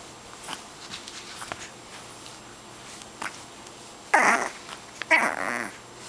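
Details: Pet dog growling indoors in a way likened to a gremlin: faint rough murmurs, then two louder strained, nasal growl-whines around the fourth and fifth seconds.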